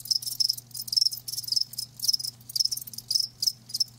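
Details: Close live crickets chirp in high, rasping bursts, roughly two each second, separated by brief gaps, over a low background hum.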